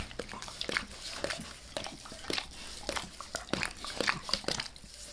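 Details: Wet licking from Max the dog on a person's face, recorded close up indoors: sharp smacking tongue clicks and slurps, rapid and uneven, a few quieter pauses between bursts, no speech.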